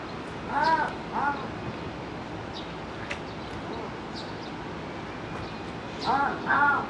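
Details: Captive Pallas's cat at Higashiyama Zoo in Nagoya, calling eagerly toward another cat as if appealing to her: two short, arched, harmonic yelping calls near the start and two more at the end, separated by a quiet stretch of faint background noise.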